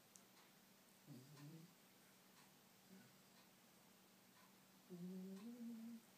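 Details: Laney, a pet dog, asleep indoors and squeak snoring: two quiet, nasal, tonal squeaks on the breath, a short one early and a longer wavering one near the end, over a steady low room hum.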